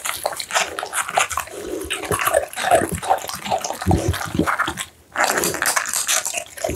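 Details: American Bully eating minced duck meat and steamed pumpkin, recorded close: moist chewing and smacking with softer snuffling breaths, a short quiet gap near five seconds, then the chewing resumes.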